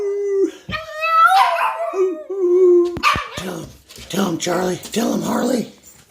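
A Boston Terrier gives a wavering, drawn-out howl that breaks into short yelps, then a person talks.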